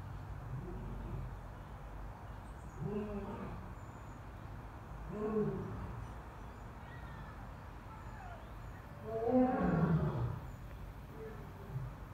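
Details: Asiatic lion at Dublin Zoo, heard at a distance: a few soft, low, harmonic grunts spaced a couple of seconds apart, ending in a louder, longer moan, over steady low background rumble.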